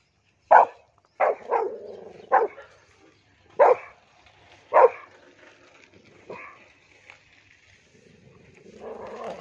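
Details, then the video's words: Angry Rottweiler barking in reaction to a cow: five loud, harsh barks in the first five seconds, some doubled, then quieter sounds and a rising low rumble at the end. "Angry Rottweiler"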